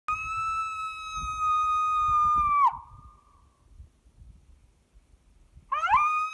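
A coyote gives a long, steady howl that drops at the end, then starts another rising howl.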